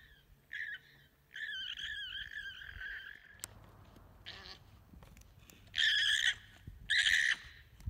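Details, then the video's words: Terrified alpaca running from herd dogs, screaming as it flees. It gives shrill, harmonic, wavering cries: a short one, then a long quavering scream of about two seconds. Two brief, louder piercing bursts follow over a low background rumble. "Terrified alpaca runs screaming for safety near herd dogs"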